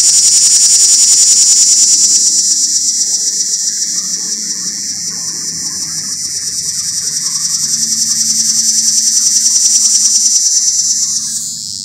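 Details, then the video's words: Mating call of a cicada perched up in a pear tree: a sustained piercing, finely pulsed buzz that dips and swells in loudness over twelve seconds before cutting off at the end, with a soft low hum underneath. "Cicada Mating Calls"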